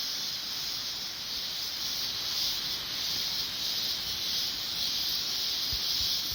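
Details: Cicadas singing in mountain coffee plantations, a high sizzling drone that swells and fades in slow waves, about two per second, with a few faint low knocks near the end.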